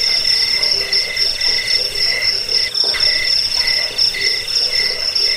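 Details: Cricket sound used to drive away rats, lull listeners to sleep and train songbirds; shrill rapid chirping in layered high bands, with short regular gaps in the lower band and a brief dip near the middle.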